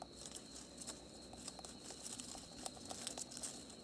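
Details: A large wild rat in an African corn field gnaws while feeding at night. Its gnawing comes as irregular dry crackling and crunching clicks over a steady high chirring of crickets.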